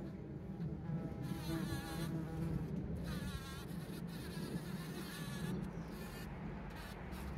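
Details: Bees collecting pollen, recorded by a trail camera on 17 June 2023: a low, steady droning buzz with passing swells and fades as insects fly near and away, over a soft background hiss.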